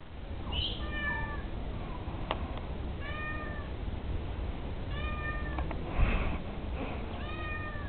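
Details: A neighbour's cat meowing: short squeaky rising-falling meows repeated every second or two over a steady low hum.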